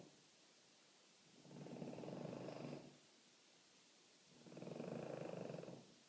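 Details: French Bulldog snoring gently: two long, raspy, rumbling breaths about three seconds apart, each lasting over a second with a fine rapid flutter, quiet gaps between.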